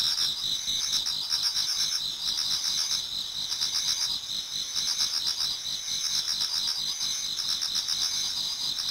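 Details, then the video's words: Dense autumn insect chorus in a Japanese garden towards dawn: constant shrill high trilling, overlaid by bursts of rapid pulsed chirps that come and go every second or two. "Autumn Insects voice Towards dawn"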